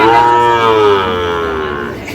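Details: Sahiwal calf at a Bangladeshi cattle market in Madaripur, lowing once in a long, loud, slightly falling moo that fades toward the end, with faint background noise.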